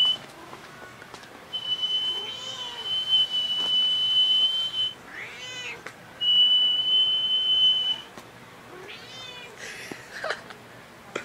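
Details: House cat answering a man in a playful exchange, several harmonic wavering meows between long steady high whistled tones lasting about two seconds each, indoor room tone.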